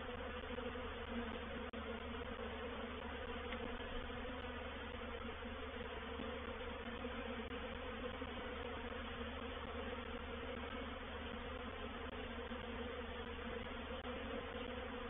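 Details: Honey bee reproductive swarm moving into a bait hive, or swarm trap, at Painted Peacock Manor on 04/07/21: a dense, steady hum of many wings with even low droning bands, unbroken for the whole stretch.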